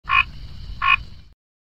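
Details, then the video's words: Frog croaking twice: two short, harsh, rasping notes under a second apart, each with a deeper rumbling tail, then silence. "Croaking 2x"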